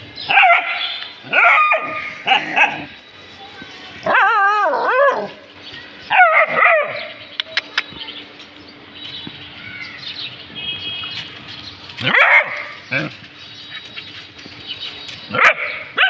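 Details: Pet dogs reacting to something they have found, barking and yelping in bursts every one to two seconds. Some calls are wavering, rising-and-falling whines, with faint clicks and knocks between them.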